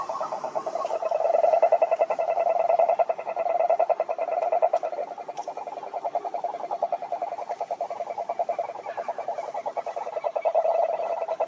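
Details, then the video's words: Several frogs chorusing in a pond, overlapping trains of quick, rattling croaks at mid pitch, swelling and fading in waves, about three to four pulses per second. "Sapos Cantando na Lagoa - impressionante"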